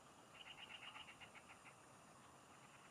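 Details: Chorus of field frogs recorded during a fishing trip: a fast run of pulsed, mid-high chirps in the first second, fading into quieter scattered pulses, with a faint high whine and hiss behind.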